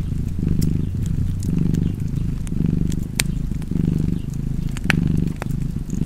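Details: Cat purring by a fire: throaty rumbling purr rising and falling in rhythmic breaths, a loud crackle and several wood pops breaking through the steady low hum.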